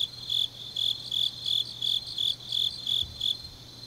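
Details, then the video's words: Grass insects on a deep autumn night in Changnyeong, South Gyeongsang, South Korea: high, shrill chirps repeat about every 0.4 seconds, roughly nine pulses, over a faint steady hum and softer insect trilling. "깊은밤 가을 풀벌레 소리"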